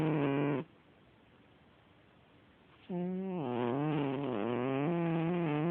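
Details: Domestic cat snoring in its sleep, with a short buzzy snore trailing off, about two seconds of quiet breathing, then a longer, droning snore that wavers up and down in pitch for nearly three seconds.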